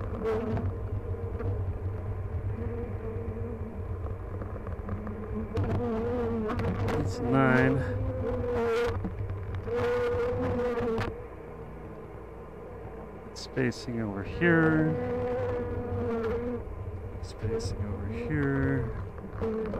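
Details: Honey bees buzzing during a hive check at "The Mountain" on 22/6/29, hives full of honey and brood; steady droning hum with rising, sweeping tones as bees fly close, a brief quieter gap midway, low rumble beneath.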